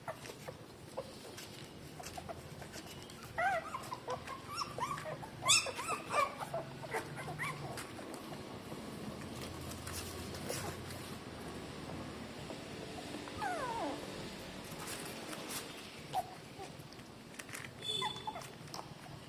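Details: Three-day-old newborn puppies nursing from their mother, pressing to her nipples for milk; faint high squeaks and whimpering bursts rise and fall now and then over soft rustling, suckling clicks and a low steady hum.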